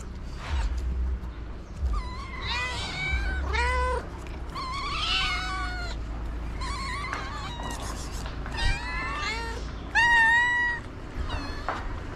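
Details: Feral tortoiseshell cat begging for food amid a crowd of ginger strays; repeated nasal meows of varying pitch, some overlapping, spread across twelve seconds, with low humming background noise and faint human voice.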